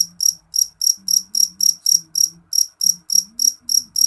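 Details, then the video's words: Loud, shrill chirps from a jeliteng cricket, evenly spaced at roughly three to four per second, each chirp a short high-pitched pulse, one small gap midway; a soft low hum in the background. "Suara jangkrik jeliteng nyaring"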